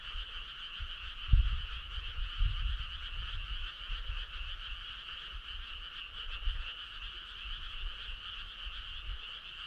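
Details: Frog chorus on a midsummer night along a starry country road: a steady, dense trilling band of many callers, unbroken throughout, with low rumbling thumps underneath, strongest near one and a half seconds.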